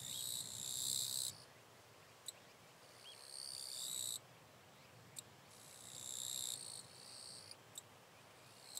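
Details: Wild eastern Japanese katydid in northern Miyagi Prefecture, Japan, filmed 22–23 August 2024; noted as close in form to the western katydid, possibly a distinct population. High, dry buzzing trills lasting about a second, separated by pauses, with scattered short ticks.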